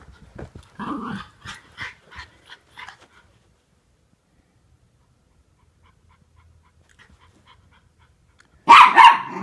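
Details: Norfolk Terriers play-wrestling indoors, keeping a younger dog in line: a few short growly yaps in a quick run at the start, a long silence, then a loud harsh double bark at the end.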